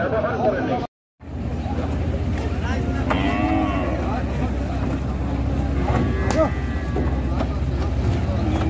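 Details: Cattle being unloaded from the river side at a busy village cattle market, a low drawn-out moo rising over steady engine rumble, with people talking and a few higher harmonic calls in the middle.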